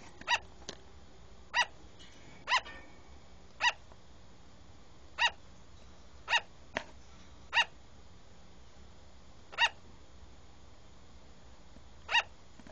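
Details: A platinum-coloured sugar glider barks in sharp, high yaps spaced a second or two apart.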